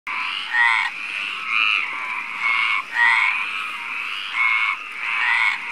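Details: Male Mediterranean tree frog (Hyla meridionalis) calling at night in May near Barcelona, Spain, vocal sac inflating, giving loud, rasping croaks about once a second over a steady frog chorus.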